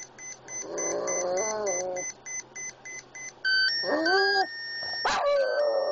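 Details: Boston Terrier Oscar, an epileptic pet pup, answering a beeping Swatch with a short wavering howl, followed by a brief rising yelp-like note, amid repeated electronic beeps and tones.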